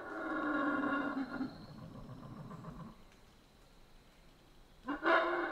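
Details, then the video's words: Howler monkeys of the Central American rainforest: a fading rough roar and low grunting, a quiet pause, then a sudden short loud howl at the end. "Rainforest Howler Monkeys Sounds"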